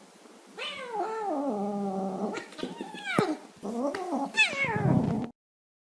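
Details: Domestic cat giving affectionate, whiny meows: a long sliding meow that drops and holds, then shorter chirpy meows with a click, ending in a falling, slightly rough meow; no other sounds.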